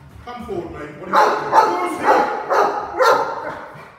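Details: During a staged home intrusion drill, a Cane Corso gives rapid, forceful barks, five heavy harmonic barks in four seconds, each about half a second apart, with a voice faintly underneath.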